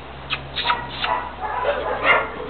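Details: A dog gives several short, high yips and whimpers in the first second, then softer whines, while a person speaks affectionately in Spanish.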